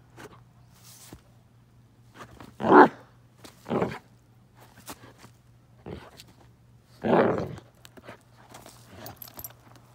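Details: Bruno the Basset Hound off road gives two strong, deep barks spaced about four seconds apart, each with a softer follow-up woof, amid light rustling and scattered clicks.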